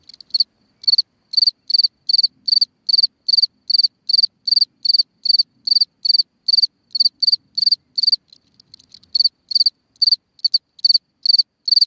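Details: Long run of cricket chirps at night from a ground hole, each short burst of pulses high-pitched and evenly spaced about every 0.4 seconds, briefly broken by a few ticks mid-way, otherwise quiet surroundings.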